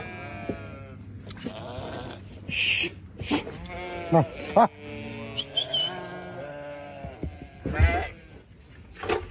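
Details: Newborn lambs giving a jumble of short broken bleats and cries, some overlapping, with knocks, clicks and rustling around them.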